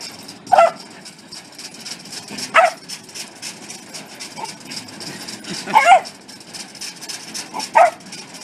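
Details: Welsh Corgi giving four loud, clipped barks spaced one to three seconds apart, separated by quiet stretches over a constant hiss.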